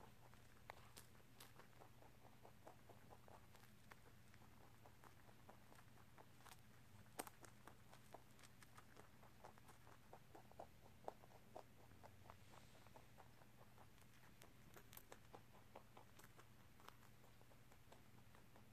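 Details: Rabbit Tosil nibbling corn and rice snacks in a room, a long run of faint, rapid, even crunching ticks with occasional louder snaps, over a steady low electrical hum.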